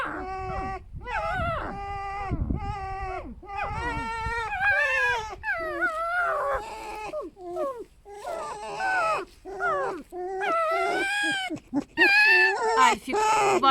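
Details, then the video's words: Pet foxes rescued from a fur farm, kept at home, squeaking in a harmless vocal exchange; a rapid run of tonal, wavering whines and yelps, some rising and falling, rich in harmonics, with brief pauses between bursts. "Звуки лисы: скрипят снова"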